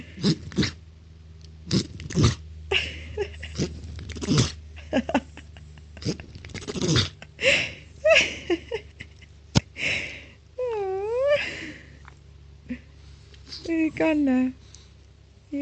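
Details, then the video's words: Sheldon, a French Bulldog puppy, sneezing: a run of short sharp bursts and snorts in the first half, then a high wavering whine and a few squeaky yelps near the end. "Cute Sneezing Frenchie Puppy"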